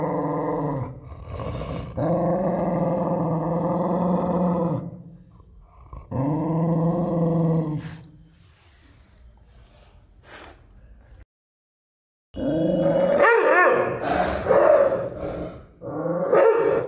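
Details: Aggressive American Pit Bull Terrier growling: long, deep, steady rumbling growls lasting several seconds each, a pause, then harsher, higher snarling growls with rough bark-like outbursts toward the end.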